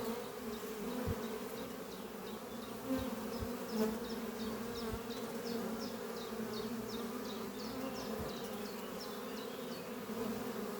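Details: Honey bees flying at the Doppio hive under trees on a spring morning, workers bringing in pollen; a steady low hum with brief louder buzzes as bees pass close, over a fast series of thin high chirps behind.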